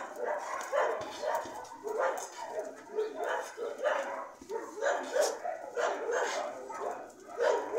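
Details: Several dogs giving a dense run of yelping barks, one short burst after another about twice a second, mid-pitched with bright harmonics and a continuous chorus underneath.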